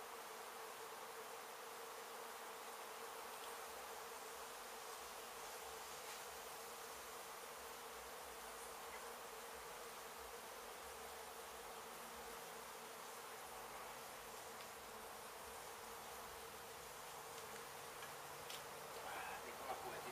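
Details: Honey bees from a hive struck by construction crews at an abandoned home being demolished in Mission, Texas, during a rescue and relocation; a steady, dense droning buzz continues throughout with a faint hum, no speech.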